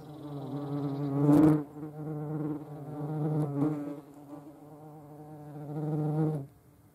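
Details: European hornet (Vespa crabro) observed in the Eifel, Germany: deep humming wingbeat buzz that surges and fades in waves, with two sharp taps and a sudden stop at the end.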